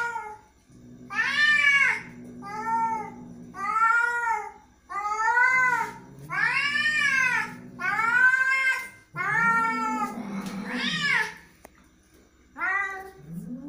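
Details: Domestic cat, described as angry, meowing repeatedly indoors: strained, arching meows of about a second each, roughly every two seconds, with low growling undertones between some calls.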